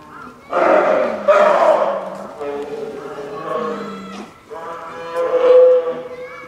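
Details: Captive polar bear cub Lila, a nine-month-old female, cries beside her mother Lala at Maruyama Zoo in Sapporo, Hokkaido, on a stormy typhoon morning in October 2015, fussing as lunchtime nears; loud, harmonic, moaning wails in three long bursts.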